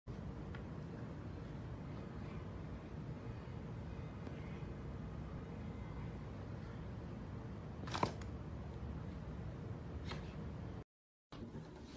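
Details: Indoor room hiss and low hum with a couple of brief clicks and a short dropout, but no animal calls.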